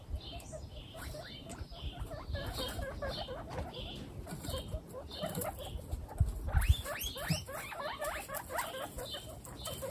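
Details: Guinea pigs from a household of 28 pets give rapid bursts of short, rising, high-pitched squeaks, several in quick succession, then pausing and resuming, over a low rustling background.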